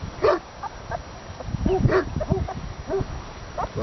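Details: Ala shepherd dog puppies, about 8 to 10 days old, from a litter of local shepherd dogs: short, thin yelps and whimpers, several overlapping and repeated roughly every half second, with a man talking nearby.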